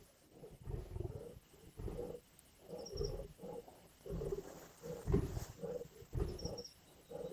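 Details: Lions at a carcass in Indian bush, growling and snarling: steady run of low, grating growl bursts, about one per second, with faint high chirps from a small bird in the background.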